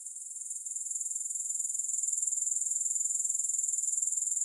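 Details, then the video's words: A high, shrill grasshopper trill of rapid rhythmic pulses that swells gently from soft to steady over a few seconds. "Grass Hopper Sounds"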